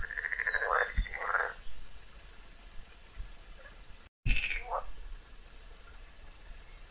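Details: A frog struggling against a snake produces a long grating, pulsed cry, then after a brief cut a couple of shorter rasping croaks, with soft low thuds in the background.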